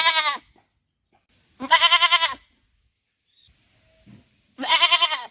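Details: Goat bleating three times, each call a short wavering, nasal bleat of about half a second to a second, separated by silent gaps, with a faint soft sound in between.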